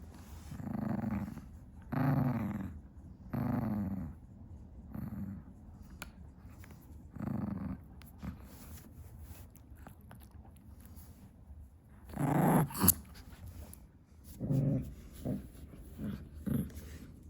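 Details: Tiny female Chihuahua chewing her favourite stick in a room at 2 AM; repeated low, rumbling growls in bursts about every one to two seconds, pausing midway, then resuming louder with chewing clicks.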